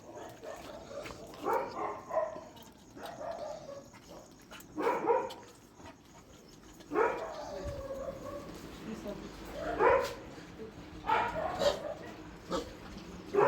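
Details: Dogs at a shelter during night feeding, barking in short, harsh bursts every one to three seconds, about six in all, while people talk to them in Tamil nearby.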